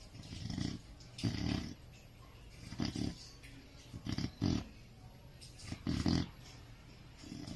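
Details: Sleeping Chow Chow producing deep rough snores and snorts, uneven bursts, some doubled, over a steady low background hum.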